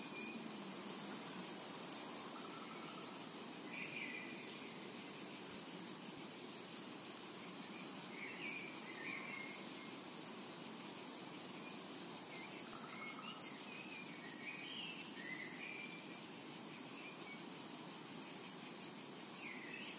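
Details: Cicadas in a tranquil summer meadow: a dense, unbroken high-pitched shimmering buzz fills the whole stretch, with scattered short chirping bird notes in the middle range.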